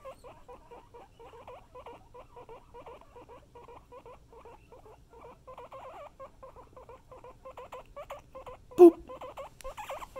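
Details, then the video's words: Indoor pet guinea pigs calling: a steady run of short looping squeaks, wheeks repeated several times a second over soft low rumbling, with one sharp loud knock near the end. "Wheeking and Rumbling Guinea Pigs"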